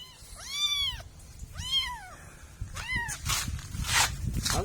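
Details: Kittens caught in funny moments meow three times in quick succession, each call a loud arched whine rising and falling, followed by a man talking and coaxing them to come over.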